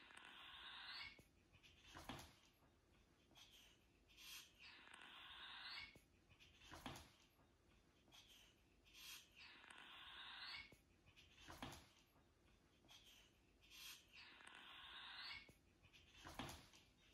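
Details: A European polecat hissing at a dog gives harsh, breathy hisses in short bursts, repeated every few seconds.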